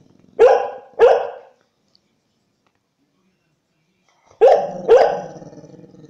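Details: An American Staffordshire Terrier gives two quick barks, falls silent for nearly three seconds, then barks twice more, the last pair trailing into a low growl.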